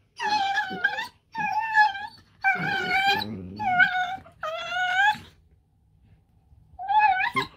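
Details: Pet Dachshunds talking to each other in rough and tumble play: a series of short moaning whines about a second each, with low rumbling growls mixed in mid-way, a pause, then one more whine.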